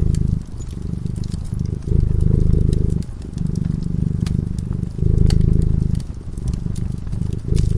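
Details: Sleeping cat purring beside a crackling fireplace, a low steady rumble that swells and fades in cycles of roughly one to two seconds, with faint fire crackles ticking over it.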